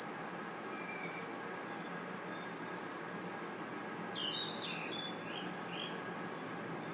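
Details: Crickets and other insects at night in a forest: a steady, unbroken high shrill hum holds throughout, while a bird gives several short, sliding whistled notes around the fourth and fifth seconds.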